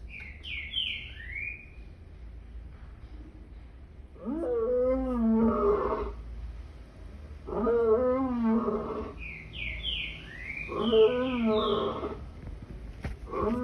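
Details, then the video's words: Lion roaring in three long, harmonic bursts of about two seconds each, every three seconds or so, with a wavering, moaning quality; quick high bird chirps sound at the start and between the second and third roars. "Lion sounds"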